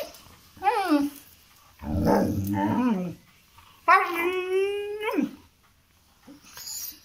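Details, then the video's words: Pet dog in India, indoors, vocalizing to be taken out for a walk: three drawn-out whining, howl-like calls, the first two wavering and falling, the last a long steady moan that drops at its end, with a person speaking Hindi nearby. "My Dog 🐶 arguing with me to go out for walk😂😂"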